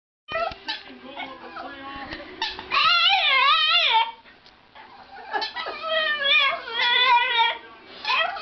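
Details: Boston Terrier crying in long, high, wavering whines that rise and fall with a quivering tremble. Two drawn-out bouts are separated by a quieter stretch of softer noises.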